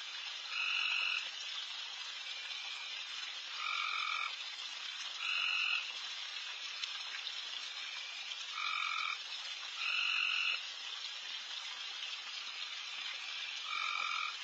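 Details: Insanely loud frogs calling all over a backyard late at night while deer feed, short, nasal, harmonic croaks repeating every couple of seconds over a steady hiss.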